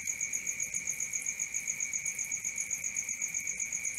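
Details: Night crickets give a steady high-pitched pulsed trill, roughly four beats each second, layered over a constant lower ringing hum; a quiet hissy background underneath.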